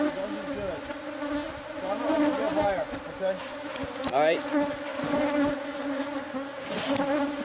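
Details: Bees from a wall-hidden hive in a newly purchased house, stirred up during removal. A loud steady hum carries wavering, swooping whines of bees flying close, with one sharp scrape partway through.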